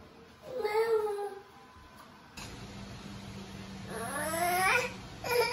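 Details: Domestic cat calling at home while a girl eats pancakes: a drawn-out falling meow, a pause, then a longer rising, wailing meow and a short final call at the end.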